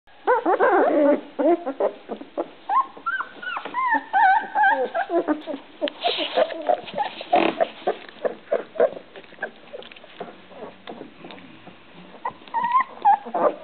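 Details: Puppies whining and squealing in quick, overlapping high-pitched whimpers and short yelps, continuous throughout.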